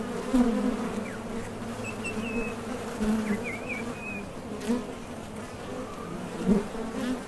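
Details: Steady droning of honey bees coming and going at a Top Bar Hive entrance while foraging for nectar, with loud buzzes as single bees fly close past. Short, thin bird twitters sound faintly behind.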